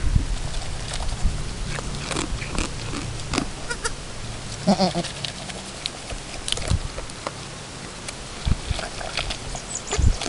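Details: Chamois Colored goat, Chiara, at her first kidding, with her newborn kid two hours after birth, as mother and kid still try to work out nursing; one brief, harmonic bleat midway through amid rustling, clicks and handling noises.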